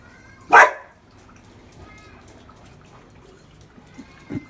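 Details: Dog making a weird whimpering in reaction to neighbours' noises: one loud broadband burst near the start, then faint thin whining tones drawn out at steady pitch, and a short low thump at the end.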